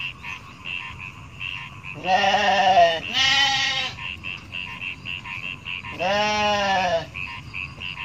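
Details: Three quavering bleats, two in close succession then a third, from a large goat herd roaming rice paddies, with a pulsing chirping background chorus between calls.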